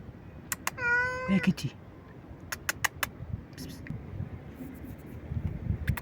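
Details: Stray cat meowing loudly and nonstop: one drawn-out harmonic meow falling slightly in pitch, followed by clicks and sharp taps, with a person speaking softly and low background rumble.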